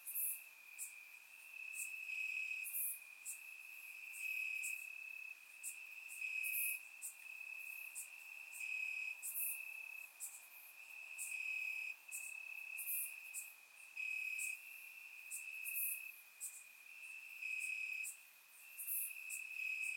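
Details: Crickets chirping in the grass at night on a warm summer night in Bulgaria, captured with a surround microphone: a steady high trilling drone with pulsing louder stretches, and brief hissing bursts of higher insect buzzing every second or two.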